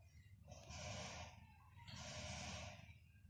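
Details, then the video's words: Pembroke Welsh Corgi asleep, its favourite spot being by smelly feet, snoring in two long rasping breaths of about a second each, separated by a short quiet gap, over a low steady room rumble. "The SNORING welsh Corgi"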